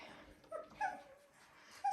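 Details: Seventeen-day-old Dalmatian puppies settling after nursing: a few brief, thin whines and squeaks separated by near silence in a quiet room.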